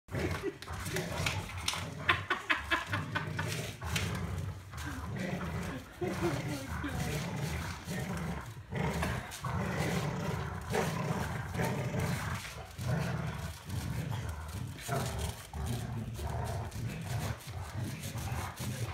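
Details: Two Golden Retrievers playing tug of war, giving low, rumbling growls in a steady, pulsing stream with sharper bursts, while people talk over the play.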